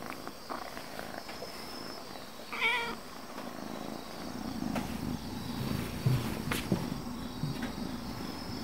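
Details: Calico house cat with a doglike temperament gives one short rising-falling meow near the middle, then settles into a low rhythmic purr that grows louder toward the end, with a few soft clicks.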